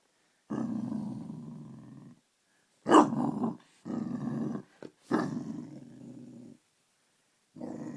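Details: A 3-month-old Bassador puppy growls at his own reflection in a bedroom mirror, upset by it: low rumbling growls in sustained bouts of one to two seconds, with a couple of sharper bark-like bursts between them.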